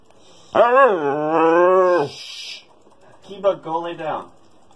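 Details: Siberian Husky Kiba in an indoor attention-seeking tantrum: one long, loud, wavering harmonic howl lasting over a second, then a shorter broken yodel-like whine after a pause.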